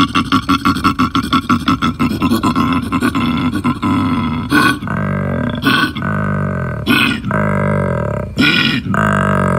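A koala bellows, starting with a fast train of snore-like rasping pulses. These give way to drawn-out, resonant belching groans broken by harsh snorting bursts, all very low and throaty.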